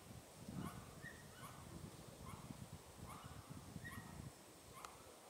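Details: Pallas's squirrel raising its tail on the Tiaoshui old trail, April 15, 2018, giving a run of brief chattering notes roughly every 0.8 seconds, with constant low-pitched rumble underneath.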